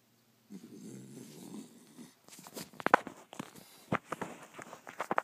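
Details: Sprite, a five-month-old Pembroke Welsh Corgi puppy, snoring while asleep: one rough, low, breathy snore lasting about a second and a half, then sharp clicks and rustling handling noises.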